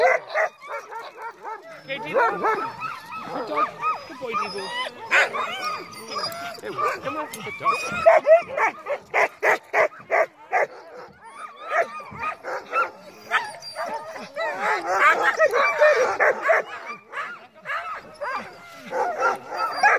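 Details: Several crossbred husky mixes on a heavily snowing night sled run yelp, yip and whine together in an excited, overlapping chorus, with rapid uneven barks and wavering, bending whines carrying through the whole stretch.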